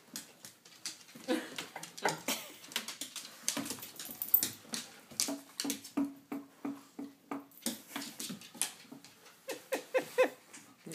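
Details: Clara, a Border Collie, plays with her favorite cat Waylon indoors; a steady run of short clicking and scuffling bursts, with soft high whimpers and a brief nasal whine-like tone in the middle.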